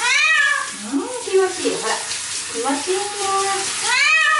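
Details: Domestic cat crying in protest while being washed in the shower; loud, drawn-out wailing meows that rise and fall, several in quick succession, over rushing water from the shower.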